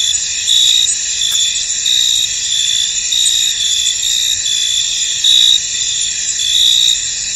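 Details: Several crickets in a misty field trill together in a high, unbroken hum. Short louder chirping bursts stand out above it, about every second or so.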